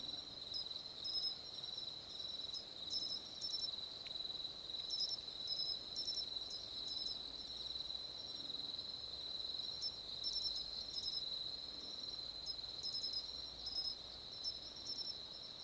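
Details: Song of the Matsumushi cricket, nominate subspecies found on mainland Japan: clusters of short, piercing high notes recurring every few seconds above a constant shrill trill from other insects.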